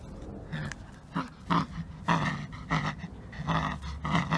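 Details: Samoyed dog, a young pet, playing tug with a rope, pulling and growling; low rumbling growls in short bursts roughly every half second, with panting-like noisy breaths between.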